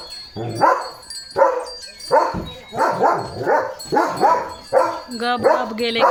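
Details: Morning barking by Leo, a German Shepherd kept as a pet, reacting to passing cattle: six rough, heavy barks about a second apart, the last ones turning into a higher, whining, wavering yelp.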